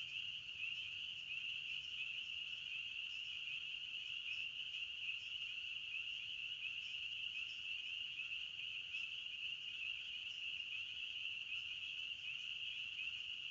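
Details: Chorus of crickets in the forest: a constant high, ringing trill from many insects at once, steady in pitch and loudness, with no breaks or other distinct sounds.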